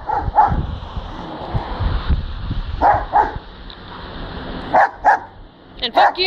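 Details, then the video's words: A dog barking while spinning, met by chance outdoors on a walk home: short harmonic barks, often in pairs, about seven in six seconds, over a steady background hum with a voice nearby. "Spinning and Barking Dog"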